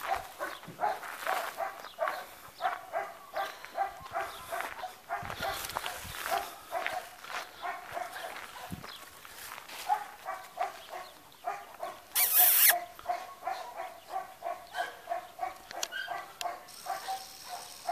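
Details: A chocolate Labrador Retriever gives a rapid run of short, tonal barks and yelps, one after another.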